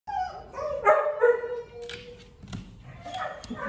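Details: Female American Bulldog awaiting adoption, recorded 8 March 2022 in the evening; a run of tonal, harmonic whining yelps in the first second and a half, then softer broken whimpers and sharp clicks.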